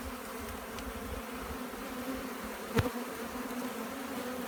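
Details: Honey bee swarm as it is collected, an even, loud humming buzz throughout with one sharp knock near the three-second mark.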